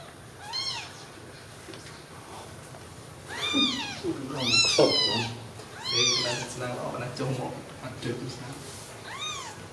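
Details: Several loud, high-pitched arched mews from newborn kittens sleeping together after milk, in irregular bursts of two or three, with people talking softly in the background.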